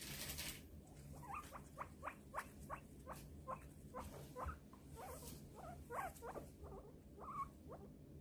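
A guinea pig gives a quick run of short, high squeaks, several each second.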